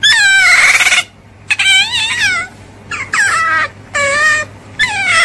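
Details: Otter giving a series of wavering, high-pitched harmonic squeals, each about half a second to a second long, rising and falling slightly, separated by short silences, with a faint low hum underneath.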